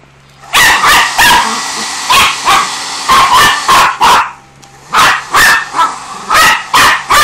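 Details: A frightened pinscher named Jagger barks at a blower he hates, loud sharp barks coming in pairs and singles about every half second, with a steady low hum underneath.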